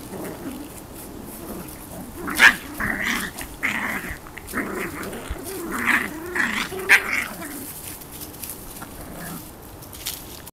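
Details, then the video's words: Puppies wrestling, filmed 30 October 2015: low rumbling growls with a few short, sharp yips and squeals scattered through the play, plus scuffling noise between calls. "puppy wresting"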